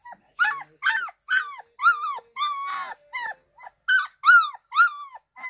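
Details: Baby Lola, a 2-week-old Irish Wolfhound puppy, gives a rapid run of short, yelping howl notes, about two a second, each bending upward then falling, with a few longer wavering cries in the middle.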